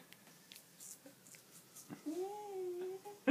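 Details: Nelly, a golden cocker spaniel, displeased while being towel-dried after a swim in a river: a drawn-out, wavering tonal whine near the end, preceded by soft rubbing and scattered faint noises.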